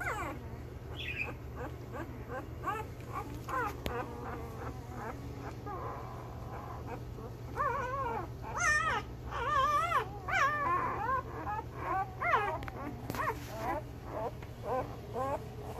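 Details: Week-old male Belgian Malinois pups of the Beastie/Barron litter, born 26 September 2021, squeak in quick thin bursts, then break into louder wavering whines and yelps from several pups at once, with faint rustling and a constant low hum.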